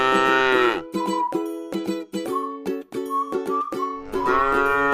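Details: Tame cow resting in a rice field: a long harmonic moo opens and another closes the clip, with plucked ukulele-like music in between.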